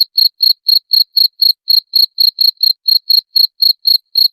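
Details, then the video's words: Shrill cricket chirping, used as a rat deterrent. Short high pulses repeat at a steady pace of about four per second throughout, in otherwise silent surroundings. "SUARA JANGKRIK PENGUSIR TIKUS"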